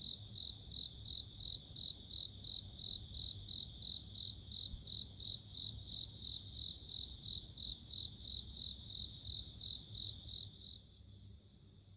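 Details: Bell cricket in nature, giving a steady stream of rapid, high, bell-like pulses with a tinkling overtone. The ringing carries on without a break for about eleven seconds, then thins and fades, leaving a soft low rumble.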